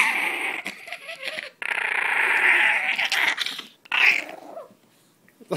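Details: Male Chihuahua hiding under a shirt with his bone, growling to guard it: loud, raspy, sustained growls in two long bursts split by a brief pause, then a shorter snarl before tailing off into quiet.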